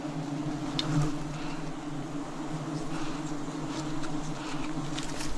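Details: Massed wild bees humming at a forest honey harvest: a continuous low droning buzz layered in two steady bands, with brief rustles and clicks over the top.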